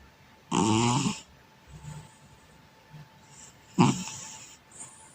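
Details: Male cat sleeping soundly on its back and snoring: two loud buzzy, rasping snores about three seconds apart, with soft breathy sounds between them and a faint steady hum behind.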